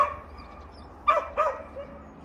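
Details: Chubby pet dog named Tongtongi, with friends Nureongi and Heendungi, barking in a playful greeting to a new delivery driver in Korea; two short, sharp barks about a third of a second apart, then a faint trailing yip over low background hum.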